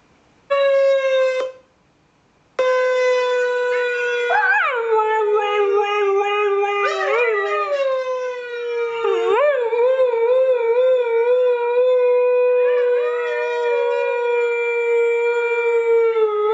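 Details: Female Siberian Husky singing indoors with its owner: a brief opening howl, a short pause, then one long sustained steady-pitched howl with wavering, yodel-like dips and rises that lasts to the end, with no other sounds.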